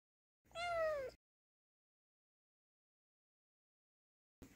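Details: Angry domestic kitten indoors giving a single drawn-out meow that bends downward at the end, followed by several seconds of silence.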